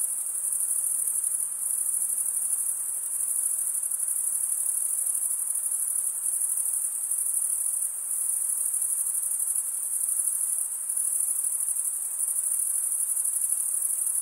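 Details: Crickets, males stridulating by drawing one wing's edge across the toothed vein of the other, form an unbroken, very high-pitched shimmering trill that holds steady throughout, with a faint soft hiss beneath and no other sounds.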